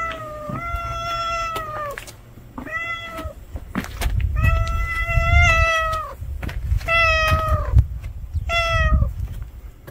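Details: A street cat gives a quick series of five meows, some short and some longer and slightly arching, over a low, steady rumble of background noise.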